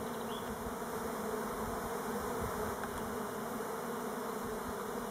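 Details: Steady droning of numerous Elgon Buckfast honey bees orienting around their hive on Timrarö, near Stockholm, rather than swarming; a low, even, unbroken hum with a couple of soft clicks.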